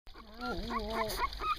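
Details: Puppies three weeks and one day old, outside: a single drawn-out whine with a wavering, harmonic tone, dipping and then rising again, followed by a few short squeaks.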